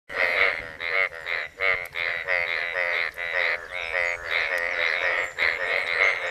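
Asian bullfrogs give rapid, nasal, buzzy croaks in a steady pulsing chorus to attract mates.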